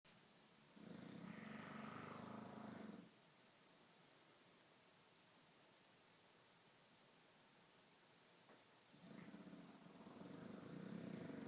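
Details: A bulldog snoring: two rough, rumbling breaths lasting about two seconds each, separated by roughly six seconds of quiet room hiss.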